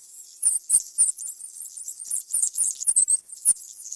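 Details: Mouse squeaking: thin, very high chirps in quick irregular bursts, several each second, some with faint soft tapping or clicking below, in a quiet setting.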